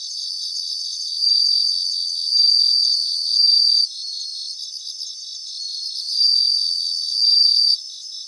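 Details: Bell crickets singing in grassland: high, bright ringing bursts about half a second long, repeated in loose groups of two or three, over a steady pulsing chorus of other insects.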